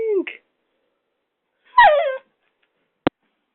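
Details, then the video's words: Rocco, a six-month-old Doberman puppy, indoors attacking a hairdryer: a short whining yelp, then after a pause a louder wavering whimpering yip, followed by a single sharp click. "Doberman puppy fighting the hairdryer !"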